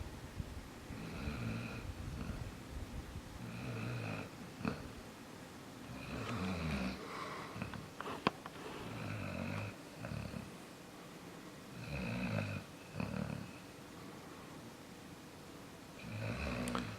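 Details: Sleeping dog Jaxson snores loudly indoors, about eight long, rasping, rumbling snores roughly every two seconds, each carrying a nasal whistling edge, separated by quieter breaths, with an occasional click in the room.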